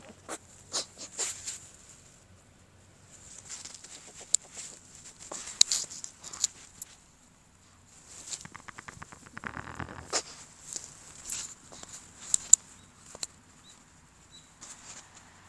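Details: Shih Tzu snorting close to the microphone for ASMR: rapid series of airy nasal puffs and snuffles, irregular bursts separated by quiet gaps, one stretch of fast rattling snorts midway.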